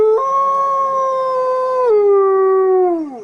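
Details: A grey wolf gives a single long, mournful howl that drops in pitch near the end.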